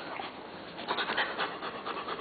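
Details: Jet black Labrador Retriever waiting for tomatoes while told to sit: rapid, breathy panting in quick rhythmic puffs, with soft shuffling.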